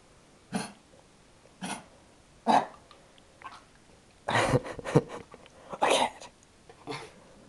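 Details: Sophie, a pet dog switching from extreme calm to excitement within seconds while being asked about a squirrel and a cat, gives short, breathy huffs and muffled barks, roughly one each second, clustering toward the end.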